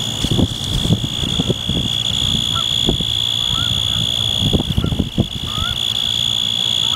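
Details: Male Forbes' tree cricket, Oecanthus forbesi, stridulating on a windy October 6, 2014 day at Danada Forest Preserve, Wheaton, Illinois; a steady, unbroken high trill runs throughout, over rumbling wind gusts and a few faint Canada Goose honks.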